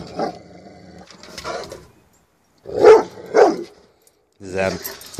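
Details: A Rottweiler, upset by a new garden flag in the yard, gives two deep, gruff barks about half a second apart while wagging its tail the whole time. A person talks around the barks.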